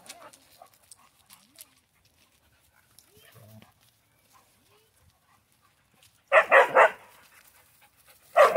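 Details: Central Asian Shepherd dog during socialization: after several quiet seconds with faint scattered noises, a sudden burst of loud, rough barks comes at about six seconds, followed by one more sharp bark at the very end.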